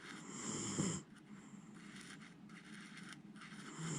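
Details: Jiji, a sleeping pet Miniature Schnauzer, gives one rough low snore lasting about a second, then quiet breathing, and a second snore begins at the end.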